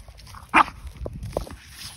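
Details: French Bulldog Margo, excited after finding a ball on a walk, gives one short sharp bark followed by a couple of soft snuffling grunts, with faint footsteps outdoors.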